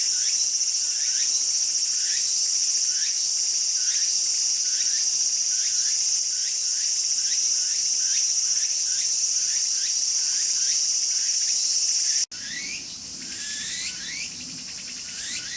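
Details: Walker's cicada calling vigorously in a garden, with quick regular rising sweeps, several per second, over a steady piercing drone; the sound cuts abruptly near the end to a quieter, similar stretch.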